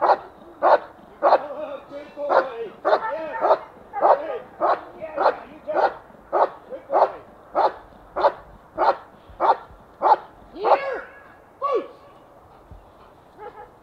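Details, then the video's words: German Shepherd from a protection and obedience training kennel, barking steadily in a long series of sharp, loud barks about every half second, a few short yelps near the end, then quiet. "German Shepherd, Obedient & Protective!"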